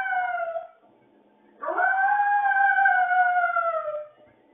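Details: Dog left alone at home, howling like a wolf: a falling howl tail fades out, then after a brief pause a long, smooth howl rises and holds for over two seconds before drooping away.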